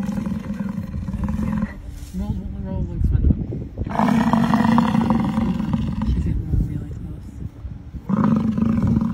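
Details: American bison in Yellowstone National Park give deep, rumbling bellows in long drawn-out bursts, separated by brief pauses.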